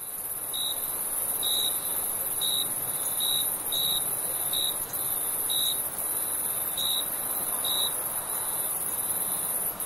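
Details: Crickets at night on a summer evening: short, high, pure chirps repeat roughly once a second, a little unevenly, for about eight seconds. Beneath them runs a constant shrill high-pitched insect drone and a soft background hiss.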